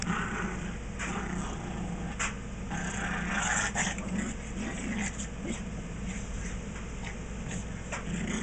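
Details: A Chihuahua and a Maltese playing together at a family house: rough, uneven growls and snarling bursts come in quick irregular runs, loudest around the middle, over a steady low hum and faint scuffling.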